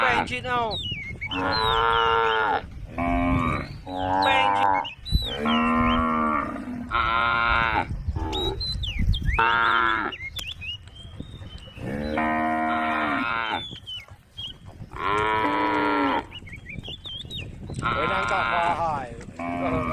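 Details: Several tame cows on a road calling to friends, giving a busy run of overlapping moos, some long and steady, others short and wavering, roughly twenty a minute, with high chirps between them and low rumbling background.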